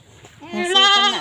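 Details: Domestic goat being shown before sale in Indonesia gives a drawn-out, wavering bleat that rises in strength and stays rich in overtones for most of a second, after a brief spoken greeting and some faint background noise.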